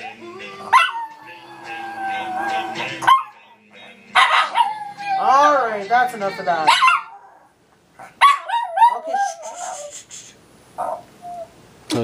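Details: A Yorkie/Havanese mix dog howls along to the one song she always sings to, in long, wavering, high tones, with a woman talking between.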